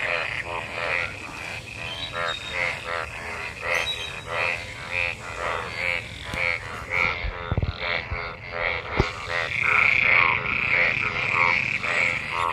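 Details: Many frogs gathered in rainwater after monsoon rain, mating, form a dense chorus of pulsed, harmonic croaks repeated rapidly and overlapping, with bright notes near the top and a few sharp knocks midway.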